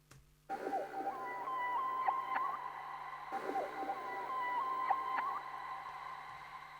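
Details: Dolphin vocalization sample with heavy reverb, later pitched on a keyboard for a jungle track: wavering whistles near one pitch with sharp clicks, in two similar phrases a few seconds apart over a steady low hum.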